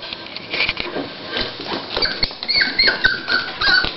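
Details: Dolly, a Toy Pinscher female beginning preparation to whelp her puppies, gives a run of short, high, nasal whimpers in quick succession near the end, after soft background rustling.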